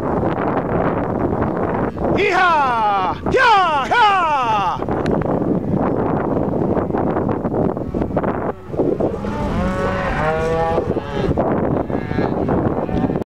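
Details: Cattle on a drive near Missoula, Montana, recorded from a bicycle, calling loudly: long wavering moos with rich harmonics around two to five seconds and again near ten seconds, over constant rumbling and wind noise.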